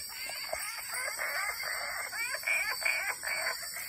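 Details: On the banks of the Claudie River in the Iron Range Rainforest, Cape York, wood frogs call in a dense chorus of rapid, hoarse, duck-like clucking chuckles that overlap in quick bursts with no steady rhythm.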